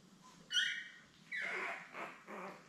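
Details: Labrador Retriever newborns born May 24, 2021, seven pups with mother Belle: a sharp high squeal, then a drawn-out whine breaking into two shorter whimpers, over a steady low hum.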